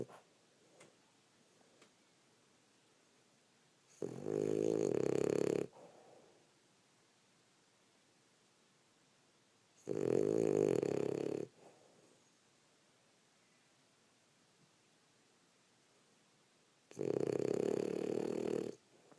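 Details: Female French Bulldog snoring indoors after a rough day of play; three long, loud, raspy snores, each lasting about one and a half seconds, come roughly every six seconds with near silence between them.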